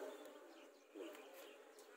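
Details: Swarm of Asian honey bees at their four-year-old nest by a house front while it is being removed, giving a continuous low humming drone with a brief louder surge midway.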